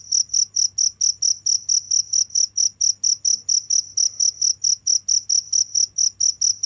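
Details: Shrill cricket chirps repeat steadily, about four each second, each a short bright pulse at high pitch, with a soft low humming background.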